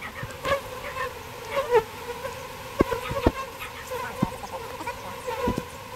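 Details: Continuous buzzing drone of a bee colony being moved from a birdhouse into a bee box, mixed with irregular clicks and knocks of handling.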